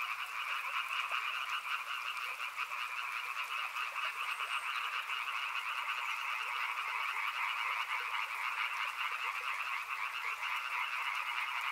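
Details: Frogs beside a river croak without pause, a thick pulsing trill of many voices holding steady for the whole stretch over a light hiss.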